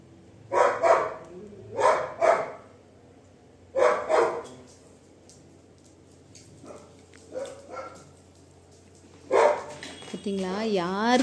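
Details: Labrador Retriever named Duke barking: short sharp barks in pairs and singles spread over several seconds, with a wavering whine-like sound near the end and faint household noise.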